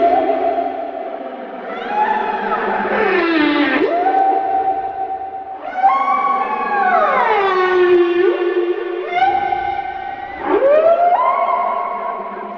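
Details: Humpback whale song, especially sung by males and said to attract mates: long, echoing moans that slide up and down, each tone held for seconds before bending away.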